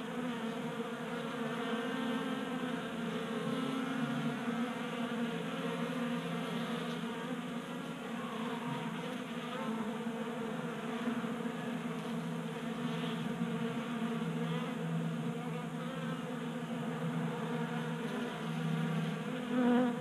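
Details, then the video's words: Many honey bees crowd a 3D printed feeder in a Colorado garage on a 60-degree January day, active from the late heat; a dense, continuous droning hum holds steady throughout with slight wavering as bees come and go. "45 Minutes of Honey Bees Feasting from 3D Printed Bee Feeder ASMR"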